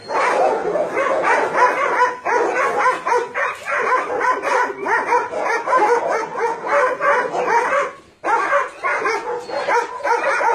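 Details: Many dogs at a combined dog-meat farm and puppy mill in Nonsan, South Korea, January 2017, where about 150 dogs of breeds including Doberman, Shar Pei, Chow Chow and Golden Retriever are kept. Dense, overlapping barks sound continuously, with a brief lull near the end.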